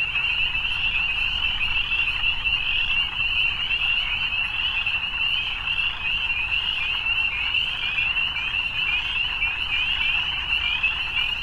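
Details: Frogs at evening keep up a thick, continuous chorus of shrill trills, the shimmering sound swelling and easing slightly but never stopping.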